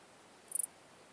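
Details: Small Gold Grasshopper stridulating in Elsbethen, Austria, 26 September 2021, recorded via an ultrasound detector; a brief, very high-pitched series of four quick scratchy pulses, over faint low hiss.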